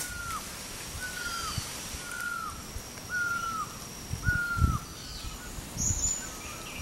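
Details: A black-webbed (Kio's) tree frog, which lives high in trees, is found in the rainy season and lays foam nests above temporary pools, gives short clucking notes that slur downward, repeated about once a second.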